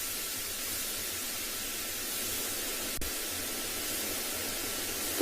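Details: Steady broadband hiss like static or white noise throughout, with one brief click near the middle and no animal calls.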